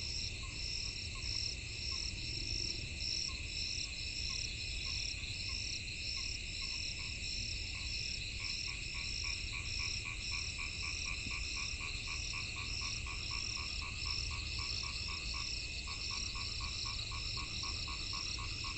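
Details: Rainy-season frog chorus: sparse, evenly pitched croaks that build after eight seconds into a fast, steady train of rapid repeated notes, backed by continuous shrill insect buzzing in the treble.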